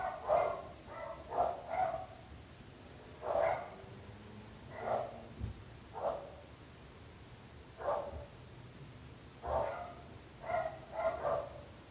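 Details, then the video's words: Persistent barking from dogs disturbing neighbours. Barks come in uneven bursts of one to three roughly every second or two for the whole stretch, with a dull background hum. "26 minuts gossos lladrant / 26 minutes barking dogs"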